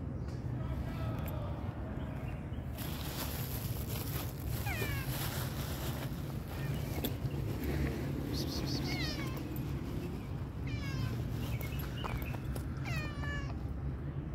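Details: Pregnant tabby cat, a stray, giving several short meows with stacked harmonics, some faint and some clearer, spaced a few seconds apart over steady low rumbling background noise and brief bursts of hiss.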